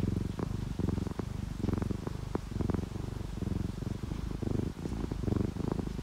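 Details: Low, rumbling purr from a sleeping domestic cat, one of an orange tabby and calico pair resting during rain; steady pulsing throb roughly once per second, with soft breathy gaps between pulses and light background noise.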